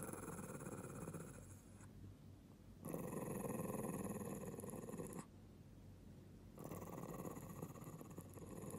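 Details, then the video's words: A Lhasa Apso, growling for no apparent reason, gives a low, rumbling growl in three long bouts with short pauses between. "Lhasa Apso growling for no reason 🥴🐶"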